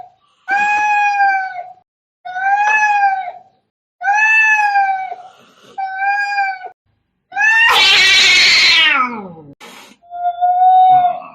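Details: Angry cats fighting: five evenly spaced, level yowls of about a second each, then an explosive harsh screech sliding downward, ending with a quieter drawn-out wail.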